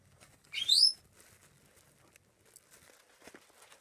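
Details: High squeak from Chihuahua puppies kept as pets: one quick upward-sweeping cry about half a second long, followed by soft scattered rustles and taps.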